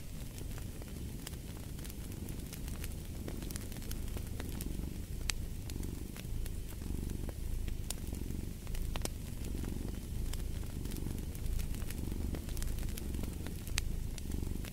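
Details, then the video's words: Steady rumbling purr of a cat, rising and falling with each breath in even cycles, accompanied by frequent crisp pops and crackles of a wood fire in a fireplace. "Fall asleep to the Purring of a Cat & Fireplace"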